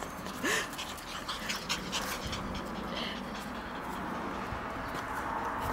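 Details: Shiba Inu puppies running around and bumping into each other: one brief rising whine near the start, followed by steady panting, breathy huffs and scuffling of small bodies throughout.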